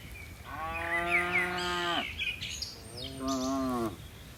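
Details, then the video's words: Herd of dozens of tame cattle bounding down a mountain slope; two lowing moos, a longer steady one followed after a pause by a shorter rising-then-falling one, with light bird chirps in the background. "Suara lucu sapi moo"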